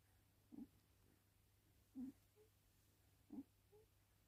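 A Cocker Spaniel puppy snores softly, each low rumbling breath followed by a faint squeaky whistle.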